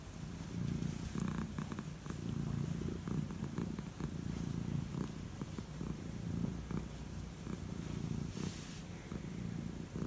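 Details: Calico cat, described as old, purring contentedly during bedtime head strokes: a low, continuous vibrating purr with occasional light rustles of fur and bedding.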